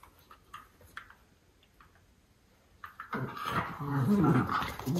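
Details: A pair of groomed Miniature Schnauzer brothers check each other out after haircuts. Low rumbling growl-grumbles build over the final two seconds after faint tapping and quiet room sounds.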